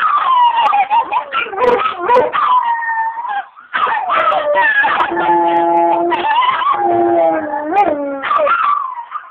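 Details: Pair of pet dogs howling along in a loud duet: long, quavering, tonal howls that rise and fall, one holding a steady low note while the other wavers higher, with brief breaks between phrases.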